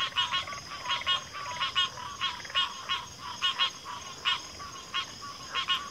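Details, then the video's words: Frogs calling in a chorus: short pulsed, rattling croaks repeated irregularly about every half second to second, several overlapping voices, over a steady high hiss. "FROGS - Pig Frogs, Water Frogs, Backwater Chorus, & Frog Chorus"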